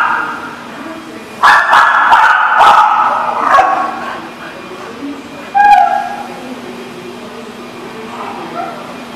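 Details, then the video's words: A dog barks in a burst of several loud, rough barks, then goes quiet, followed by a single short rising whine and faint low hum. "The Barking Lot"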